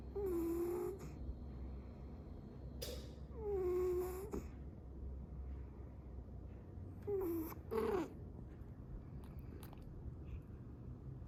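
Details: Sleeping 22-year-old female cat snoring indoors, short wavering nasal snores recurring roughly every three seconds with quiet breathing between, in a small quiet room.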